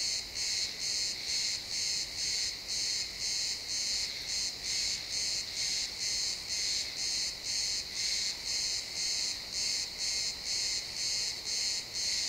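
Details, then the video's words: Pine-forest crickets at sunset, XY stereo: a bright, shrill chirp repeating roughly every half second in an even rhythm, layered ringing tones, otherwise quiet woodland ambience. "Cricket sounds in the pine forest"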